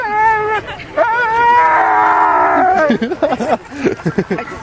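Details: A Siberian husky "sings", howling in a long, wavering, tuneful note, then breaking into shorter choppy yowls.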